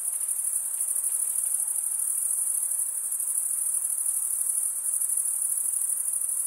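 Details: Crickets, males stridulating by rubbing one wing's edge over the toothed vein of the other, make a steady, shrill, high trill that holds without pause, a dense continuous chorus with no other sounds.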